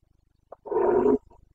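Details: Carpathian red deer stag in Bucovina roaring during the breeding season rut, 29 September 2022: a single loud, harsh, deep bellow of about half a second, preceded by a short grunt, over a faint low hum.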